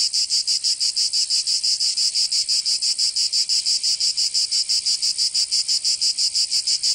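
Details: Cicadas in Provence, southern France, during summer, producing a very even pulsed buzz: sharp, shimmering bursts repeating about three times each second, nothing else audible.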